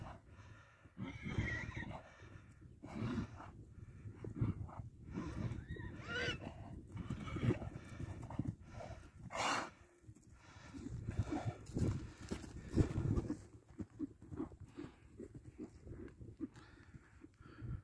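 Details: Kabardian horse giving short whinny bursts mixed with snorts, amid steady hoof clops and low rumbling noise throughout.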